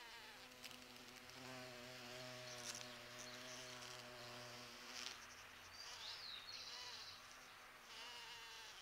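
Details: Large bumblebees pollinate the fragrant flowers of a sete capotes tree (Campomanesia guazumifolia) in a garden around mid-November. Their low, steady droning buzz swells and fades as they move around nearby.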